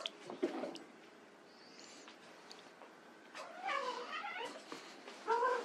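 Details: White Persian kittens at play give short meows, a pair of harmonic mewing calls late in the clip and one more at the end, with faint rustling and scattered soft noises between them.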